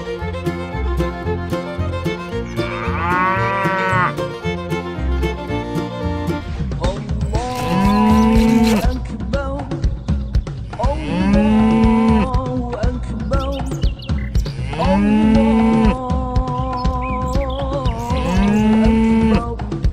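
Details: Cattle kept for Qurban sacrifice before slaughter give deep, hoarse moos that swell and fall, repeated roughly every three to four seconds, with steady music playing underneath throughout.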